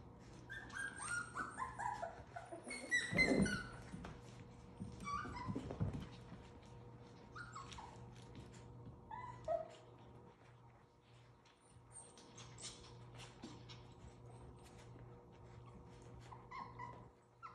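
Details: Playing Havanese puppies aged seven weeks make a long series of thin falling whimpers and squeaky yips, with some louder scuffling thumps early on and a faint hum throughout.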